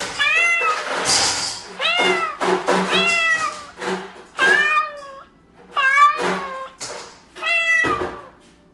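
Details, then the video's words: Real domestic cat meowing, repeated drawn-out meows roughly every second, each sliding down then level, loud and close, with faint background music. "You”ll hear alligator,hedgehogs and cat sounds"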